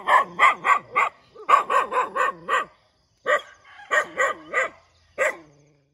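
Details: Dog barking in the morning: about sixteen short, sharp, harmonic barks in rapid bursts of four or five, separated by brief pauses, ending with a few single barks and then quiet.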